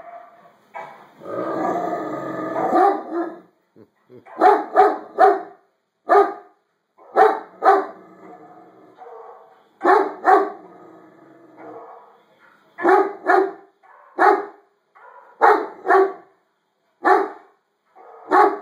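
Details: A Great Dane reacting to dogs barking on a video barks in deep, harmonic bursts, some single and some doubled, with gaps between, while a person repeats "no".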